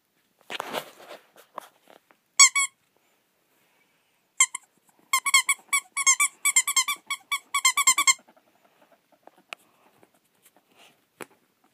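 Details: Ferret at play indoors, giving sharp, high, harmonic-rich squeaks: a single burst near 2.5 seconds, then a quick run of repeated squeaks from about 4.5 to 8 seconds, with soft rustling at the start.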